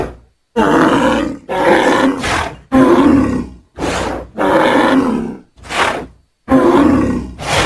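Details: Bull bellowing angrily out in a pasture: a string of harsh, rasping roars, each about a second long, coming one after another with brief pauses between, some rising at the end.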